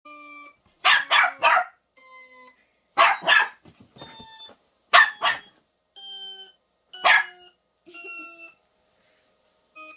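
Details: Dog reacting to strange sound effects, giving short harsh barks in bursts of two or three around every two seconds, alternating with steady electronic chime-like tones.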